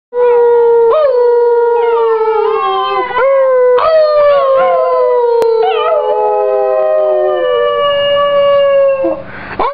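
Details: Basenji dog howling: a long, loud, yodelling wail with sudden pitch breaks and warbling slides, several sustained phrases gliding slowly downward over ten seconds, ending abruptly in a rough burst.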